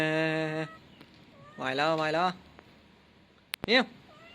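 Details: Young male cat meowing indoors: a steady, flat-pitched tone, then a wavering, drawn-out meow, and a short rising cry near the end, with faint human voices in the background.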